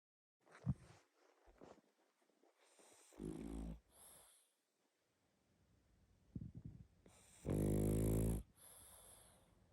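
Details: Sleeping pug snoring loudly indoors; two strong rasping, harmonic snores about four seconds apart, the second long and loud, with softer snuffling breaths and small rustles between them.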